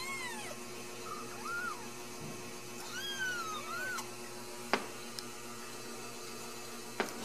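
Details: Ragdoll kittens raised indoors without cages at a home cattery in central Kansas: several thin, high rising-and-falling meows, some overlapping, then quiet with a few sharp clicks, over a steady hum.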